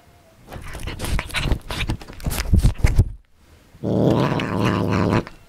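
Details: Indoor house cat eating beef and egg it does not like: three seconds of wet chewing and crunching, a short silence, then a steady, low, buzzy growl lasting about one and a half seconds.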